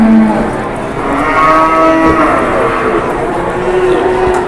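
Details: Cattle in Indonesia during bargaining, where an enraged cow charges. Low drawn-out moo at the start, then layered harmonic lowing through the middle over a steady murmur of voices and background noise.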